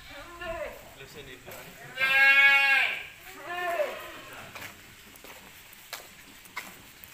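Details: Peranakan Etawah goats on a goat farm: a loud, wavering, nasal bleat of about one second, then a shorter, softer bleat, with faint background clatter and quiet voices.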